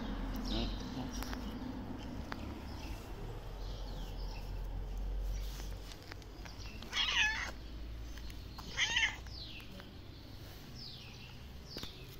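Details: Thin, thirsty black stray cat on a Moroccan street, possibly nursing newborn kittens, makes two brief strained meows a couple of seconds apart over low traffic rumble and faint high chirping.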